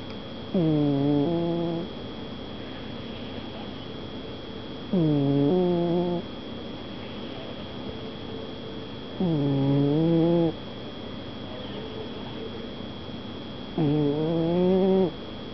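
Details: Cat asleep and snoring, four low, droning harmonic snores, each over a second long and slightly rising, repeated evenly about every four seconds with quiet breaths between; faint constant hum in the room.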